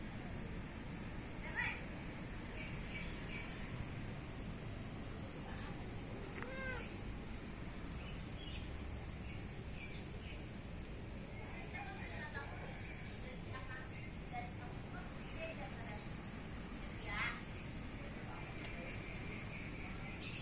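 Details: Cats perched up on top of a fence, likened to birds, give a few meows near the middle: arching, harmonic cries rising then falling. Other faint calls, voices and a steady low rumble run underneath.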